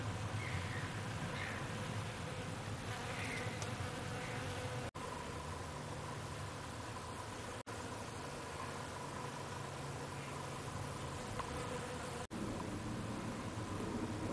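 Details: Western honey bees foraging on a flowering hazel tree, with the whole tree buzzing: a steady, low droning wing buzz hums over a soft background rumble.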